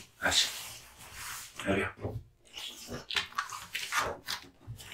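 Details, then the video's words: Kotetsu, a male American Bully (Pit Bull) born August 2016, eats hung raw meat and bones. Wet, crunching chews come in irregular bursts about once a second, with sharp snapping cracks between softer smacking sounds. "Dog eating hung raw meat and bones"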